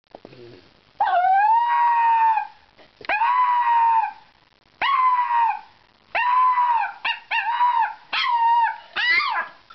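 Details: Toy poodle howling indoors: a string of long tonal howls, each about one to one and a half seconds, steady or gently rising then dropping, with short gaps between and a brief whimper at the start.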